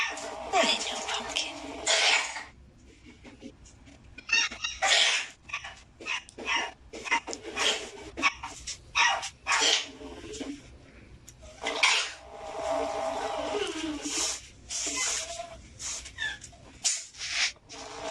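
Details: Angry kittens hissing: repeated harsh, breathy bursts of broadband noise, each lasting about one to two seconds and separated by short silences, with a faint voice-like sound in places.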